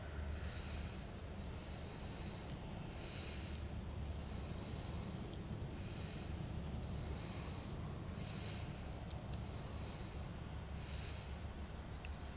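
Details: Natterjack toads (Epidalea calamita), a pair in amplexus in a temporary wetland near Valladolid, Spain, in March 2012, give short, rasping rattled trills about once a second over low rumbling noise.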